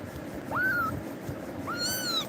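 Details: Frightened kitten, scared by Tiger and clinging to a person, gives two high, arched meows, the second longer and rich in overtones, over a soft background hum.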